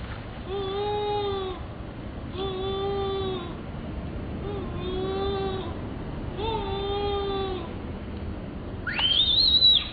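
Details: Baby monkey calling: four steady, mid-pitched, harmonic cries about a second long, repeated every two seconds, then a sudden high whistled scream that sweeps up and holds at the end.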